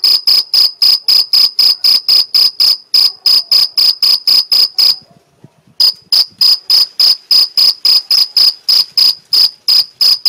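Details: Mediterranean field cricket in the Algarve, Portugal, stridulating: loud, shrill, pulsed chirps repeated about four times a second, with a brief break near three seconds and a silent gap of almost a second midway before chirping resumes steadily.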